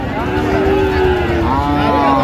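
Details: A cow at Aftabganj cattle market in Dinajpur, Bangladesh, on 17/8/25, among thin, bony cows sold cheaply, gives a long, low, drawn-out moo, then a second higher call, over steady market chatter and bargaining voices.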